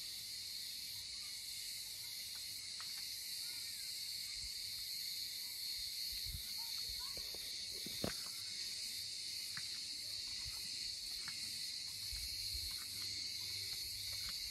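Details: Cicadas singing in olive groves around a village on Rhodes, Greece, in summer: a dense, continuous high-pitched shrill buzz that never pauses, with faint scattered clicks and a brief knock in the middle.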